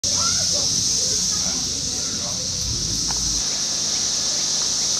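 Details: Brood X 17-year periodical cicadas emerging on June 5, 2021, in a residential area of Fairfield, Ohio, backing onto woods: a loud, unbroken high-pitched droning chorus fills the air, with low murmuring voices beneath.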